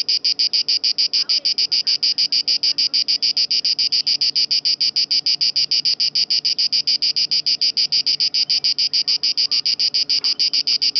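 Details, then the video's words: Lake Garda (Gardasee) Italian cicada producing a long run of loud, metallic buzzing pulses, regular at about three per second, with soft distant background sounds beneath. "Italian cicada in (gardasee)"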